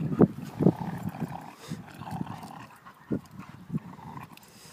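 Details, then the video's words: German Shorthaired Pointer playing around with a Vizsla; low rough growls and grunts in short bursts, a few louder ones near the start and again after three seconds, with a person's voice nearby. "German Short Haired Pointer VS Vizsla (PS : Just Playing Around)"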